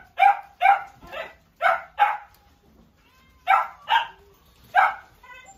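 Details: Repeated high, sharp barks from a Bichon Frise, a quick run of five followed by a pause and three more, fairly even in loudness.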